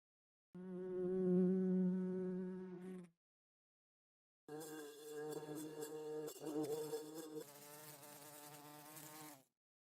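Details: Bee buzzing in two bursts: a steady, low droning hum with rich overtones for about two and a half seconds, a pause, then a longer, wavering buzz that shifts slightly in pitch before stopping.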